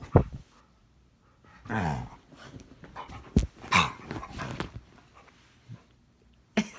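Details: Indoor tantrum from a puppy: rasping growls run into a string of uneven, throaty barks, with a quiet gap and one sharp final yelp.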